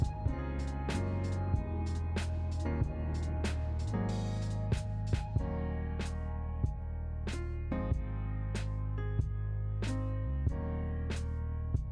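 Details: Instrumental music with a steady bass line, guitar and regular percussive hits; no animal sound is heard.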